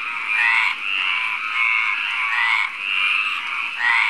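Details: A male Mediterranean tree frog (Hyla meridionalis) calls at night in May near Barcelona, Spain, its vocal sac inflating, giving loud, rasping croaks, each drawn out for about a second.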